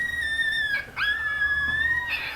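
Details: Three-week-old female Chihuahua puppy in a litter, howling in response to a distant ambulance siren after a nap: long sustained high whine, steady then briefly dipping and rising again, with a woman's voice remarking on it.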